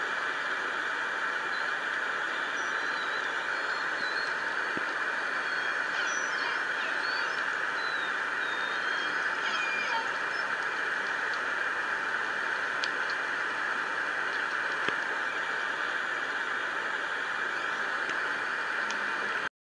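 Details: Orca calls picked up at night, about 2 a.m., on the Lime Kiln hydrophone, pod unknown; several short squealing, upswept tonal calls around the middle of the clip over steady hiss of underwater noise.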